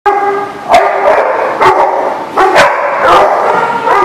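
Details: Dogs recorded on 27 December 2019; loud, tonal yelping barks burst out about every second, overlapping into a dense, ringing chorus.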